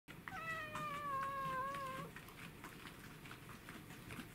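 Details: Kuro, a black house cat, trying to eat a stag beetle, recorded 10 July 2016: one drawn-out, steady meow lasting about two seconds, rich in overtones, then quiet room noise with faint rustling.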